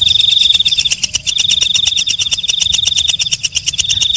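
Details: Walang kecek, a katydid singing at night, gives rapid, rattling ticks layered over a shrill, unbroken high whine, the pulses briefly thinning before picking up again.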